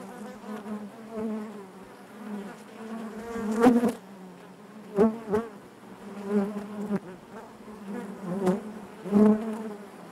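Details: Honey bee colony humming inside the hive: a constant background drone punctuated by several loud, short buzzes from bees flying near, spaced irregularly a second or two apart.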